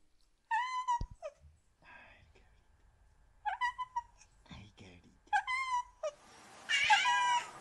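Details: Cat giving clear, falling meows separated by short pauses, with quieter sounds between calls and a harsh, noisy burst near the end.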